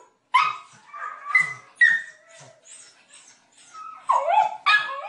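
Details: Several loud barks from dogs, mixed with higher yelping and whining notes that rise and fall. Sharp bursts come in irregular clusters across five seconds with short pauses between them.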